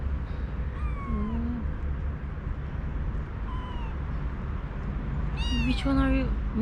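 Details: Newly arrived kittens, nine of them in a kitten cage after veterinary treatment, include one very talkative male who meows even when fed. They give thin, high meows that rise and fall, several overlapping near the end.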